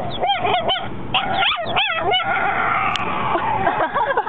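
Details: Mocha, a four-month-old pet dog, barking for the first time: short, high, yelping barks in a quick run of about five within two seconds, then quieter trailing yips over a steady background hum.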